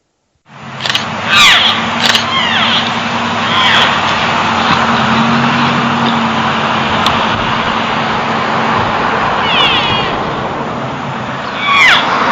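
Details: Elk cows and a calf in Rocky Mountain National Park, strung out and separated while moving from timber toward a meadow beside a road, calling often and loudly: short, high, squealing mews with bright overtones, several scattered through, over a steady road hum.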